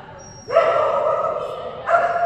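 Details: Phenix, a female Kerry Blue Terrier, at an agility class on 11/12/2019 while a toy reward is tried on contacts; two long, tonal, drawn-out barks or yelps, the first over a second long, the second starting just before the end.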